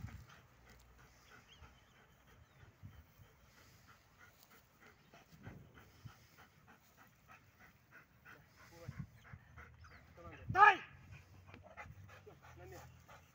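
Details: Belgian Malinois during training with a rubber tug toy, panting steadily and rhythmically, then one short, sharp, harmonic vocal burst near the end, followed by more quiet panting.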